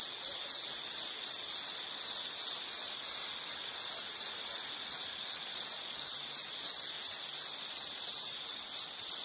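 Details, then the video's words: Insect stridulation in a continuous high-pitched band, pulsing in rapid regular chirps with no pauses, against a faint hiss; no other animals or voices. "Nature Sound of nature sounds scenery L · insect"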